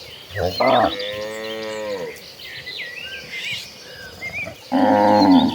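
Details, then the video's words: Tame cattle, dozens of them, moving toward a green pasture; one long falling moo followed later by a second loud moo, with bird chirps in between. "Dozens of tame cattle walking toward a green pasture, the sounds of tame cattle."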